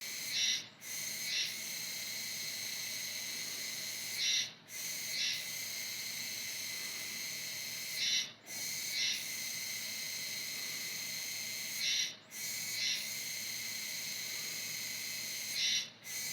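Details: Kuroiwa tsukutsuku, an autumn cicada, sings a sizzling, high buzzy "juwa juwa" drone. Each long, even phrase lasts about three to four seconds and breaks off in a brief gap before starting again. The cicada sings until around November.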